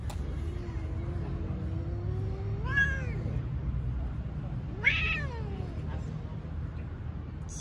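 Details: Stray cat on the street, being petted and filmed for a selfie, makes a long low moan that rises into a sharp meow, then a second bright, falling meow a couple of seconds later, against low urban rumble.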